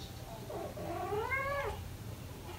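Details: A British Shorthair kitten, one of four almost five weeks old playing indoors beside parents Ted and Chloe, gives a single drawn-out rising then falling mew with clear harmonics, about one second long, over a quiet room hum.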